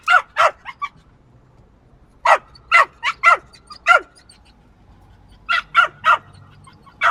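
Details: Small dog yapping in rapid runs of three to four shrill barks, pausing briefly between each run, over a faint background hum.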